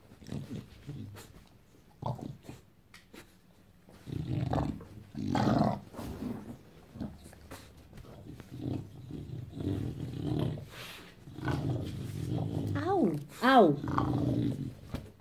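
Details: Bulldog acting wild on a Saturday morning: bursts of low throaty growling and grumbling separated by pauses, ending in a few rising, whiny yelps.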